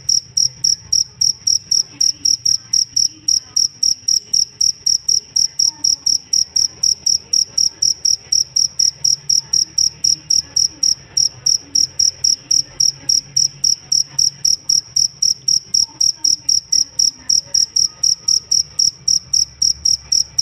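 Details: Steady cricket chirping from a jangkrik used to teach songbirds, pulses of a high pure tone repeated roughly four times a second for the whole stretch, with faint low rumble behind.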